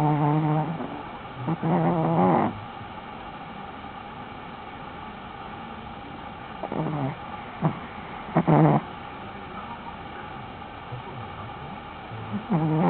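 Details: A sleeping Shih Tzu snores in a few short, voiced, rumbling bursts, separated by long quiet stretches of room hiss.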